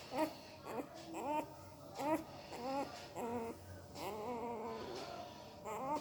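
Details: Sleeping puppy making weird noises with its mouth, likely dreaming; short high whimpering squeaks with wavering pitch, repeated roughly every two seconds, indoors in a small room.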